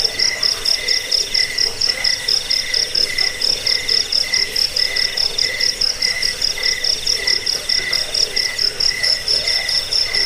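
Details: High, metallic cricket chirps, used for chasing away rats, sleeping and bird song training, pulse evenly and without pause for ten seconds, layered over a steady shrill buzz and soft static.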